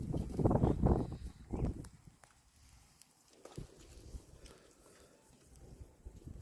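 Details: Cow. A cow lets out a low, throaty moo in the opening seconds, then a shorter grunt. After that, only soft thuds, hoof or footstep sounds and faint outdoor noise remain.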